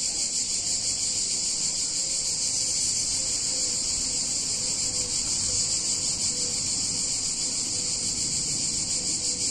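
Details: A hot summer day in an Italian town, filled with the unbroken high hiss of many cicadas; the shimmering buzz stays level throughout while faint short tones come and go beneath it.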